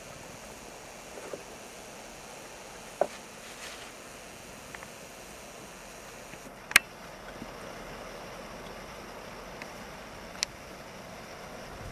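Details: A quiet outdoor background hum with a few sharp isolated clicks and knocks, and no animal calls.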